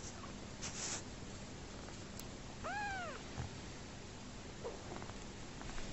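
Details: Orphaned, rescued homeless kitten, his mother dead soon after his birth, now a family pet, feeding happily from a bottle indoors; a single short, rising-then-falling mew near the middle over a steady background hiss.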